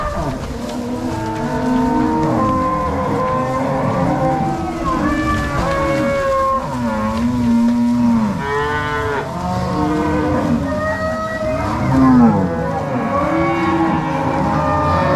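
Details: Herd of crossbred Angus-Nelore cows being driven from the corral to pasture by three cowboys and six dogs, Ortigueira, Paraná, 16 March 2022; continuous chorus of deep, rising-and-falling moos from many animals overlapping.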